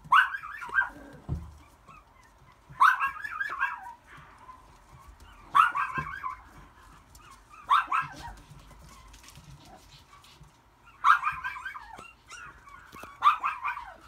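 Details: White and red male long-coat Chihuahua puppy, born April 2018, giving short clusters of high squeaky yips and barks every two to three seconds, about six bursts, with quiet gaps between them.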